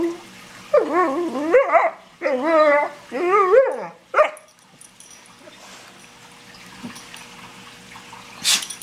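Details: Funny noises from Bruno, a German Shorthaired Pointer, living with an Australian Cattle Dog: four quick rising-and-falling yodelling whines in a row with a short yelp after them, then near quiet and a faint sharp noise at the end.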